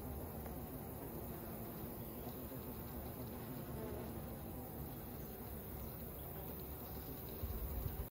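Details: Honey bee colony buzzing around their queen, an even, continuous low droning hum from many bees that holds steady throughout with no other clear sounds.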